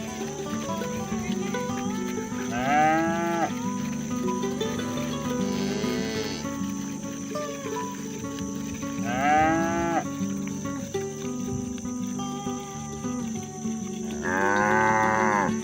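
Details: Rural cattle heading home from grazing, lowing to gather their companions for the barn: three or four arched moos spaced several seconds apart, the last one loud and long, with music playing throughout.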